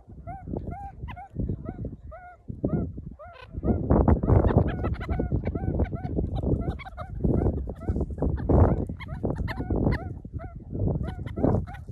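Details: Several meerkats climbing on a person as a lookout post and accepting them into the group give repeated short chirping calls, many overlapping, with heavy rustling and handling noise throughout.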